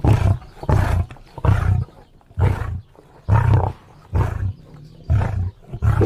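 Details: Lion roaring in low, hoarse grunts, seven heavy bursts spaced under a second apart, each a rumbling huff with breathy tails.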